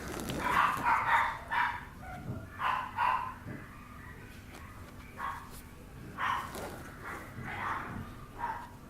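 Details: Papillon puppy giving short, high, whiny yips and squeals in uneven bursts about a second apart, with quieter gaps between them.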